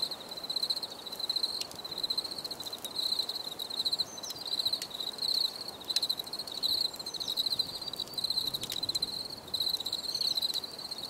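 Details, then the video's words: Crickets chirping continuously, high pulsed trills in repeated bursts with short breaks, steady rhythm throughout, a few faint clicks underneath. "Bruit de Grillons"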